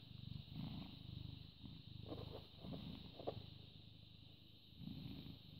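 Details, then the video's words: British Shorthair cat (born 18 August 2010) purring on 14 May 2017 at 09:16; a low throaty rumble in repeated swelling cycles, a couple of faint clicks midway, over a steady background hum. "British Shorthair Cat purring"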